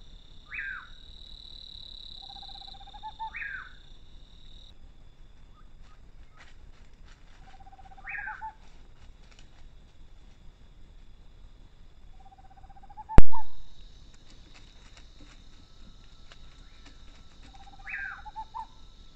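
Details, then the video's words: Brazilian fox on a trail giving its eerie call, each a falling, raspy high note answered by a lower level tone, four or five repeats spaced a few seconds apart, one sharp knock and steady high hiss behind. "o chamado da raposa assustador"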